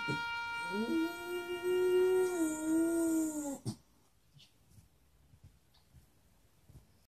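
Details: Cairn Terrier indoors lifting its head to howl along with a bugle playing Taps at the Fort Hood Memorial service. One drawn-out howl slides upward, then holds a steady mournful tone for about three seconds over sustained bugle notes. It stops abruptly into near silence.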